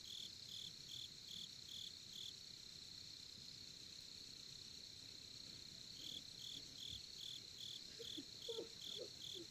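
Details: Campsite crickets in Korea with a campfire burning: pulsed high chirps stop for about four seconds then resume, while a steady shrill trill carries on throughout and a few faint sounds come from nearby.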